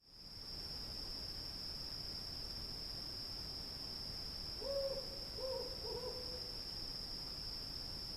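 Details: Cicadas calling in a night field: a steady, unbroken high-pitched whine runs throughout, joined midway by a few soft, low hoots in quick succession.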